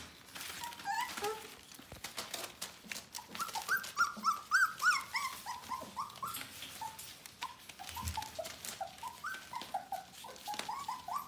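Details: Litter of Bohemian Shepherd pups about four weeks of age whining in a small room, a rapid series of short high squeaks that rise and dip, some louder yelps near the middle, over constant rustling.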